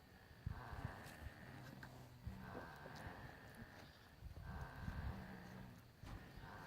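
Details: Nubian goats bunched together in a corner of the barn at night, snoring: soft, low rumbling breaths that rise into rough bursts roughly every two seconds, over a steady low hum.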